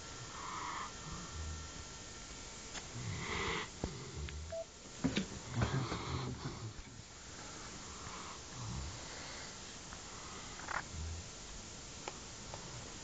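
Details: Sleeping indoors, the Central Asian Shepherd Dog Kasta gives low rumbling snores and wheezy exhalations in an uneven rhythm, some breaths louder and raspier than others, over faint room noise.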